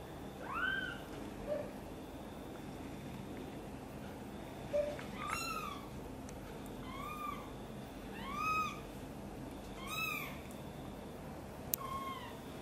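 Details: Mother cat upset while her kitten Guitar is helped out of a box and brought near her; a short rising meow, a pause, then five clear arched meows spaced roughly every one and a half seconds over steady low hum.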